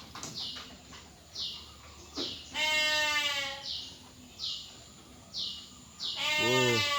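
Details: Dorper ewes with black heads and large bodies, a pen holding only females: two drawn-out harmonic bleats, the second lower and rougher, amid short hissing bursts and a man talking.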